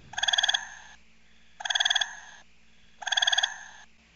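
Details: A gray tree frog in Iowa, where the species is heard in city neighbourhoods, gives short, musical pulsed trills, each about half a second, repeated every second and a half.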